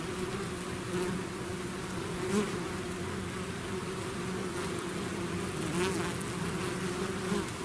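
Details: A swarm of bees outside its hive drones continuously, steady layered humming with individual bees buzzing past closer at moments, level even throughout.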